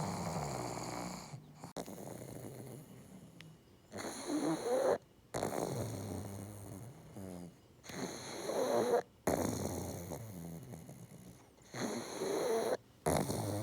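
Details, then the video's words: Loud synchronized snoring from two pugs living together: drawn-out raspy inhalations every few seconds, each separated by short silent pauses, with a faint steady hum underneath. "【パグ】いびき動画集 多頭飼いで爆音がシンクロ"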